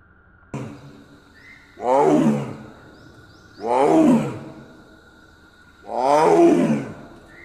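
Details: In Kaziranga National Park a female Royal Bengal tiger gives a mating call, three rough moaning roars about two seconds apart, preceded by a sharp click, with faint steady hum behind.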